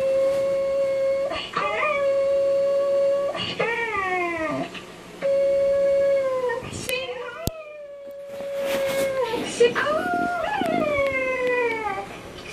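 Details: A Cocker Spaniel puppy sings along to a video of another dog, howling in long, steady, mid-pitched notes that bend and waver at the ends.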